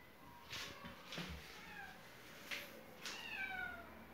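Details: A cat trying to get into the house through a shut window meows repeatedly, drawn-out wavering cries with a falling tail, several in four seconds, between soft knocks and scratching at the glass.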